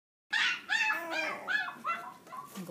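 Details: Dog whimpering, a run of five or six high nasal whining cries with falling tails, each about half a second, fading gradually toward the end.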